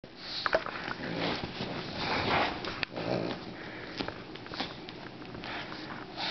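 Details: Olive, a pet pug indoors, plays with a toy flower, sniffing and snuffling in irregular noisy bursts, with short snorts and rustling from the toy between breaths.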